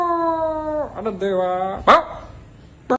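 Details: A dog gives a long, steady, harmonic howl-like tone that dips sharply in pitch, then a second level tone, followed by two short abrupt noises; a person says "oh oh" just before.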